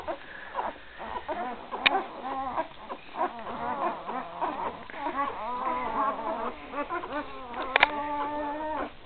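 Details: Three-day-old Great Dane puppies from the 2012 litter of Gracie and Newman squeal and whine in overlapping, wavering high cries, some rising and falling, with a few steadier drawn-out whines near the end and occasional sharp clicks.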